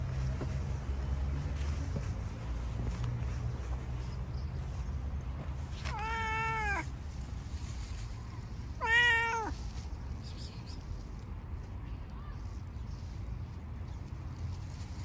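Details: A homeless stray cat being fed outdoors meows twice, a drawn-out call near six seconds and a shorter one near nine, each slightly rising then falling, with steady low background hum.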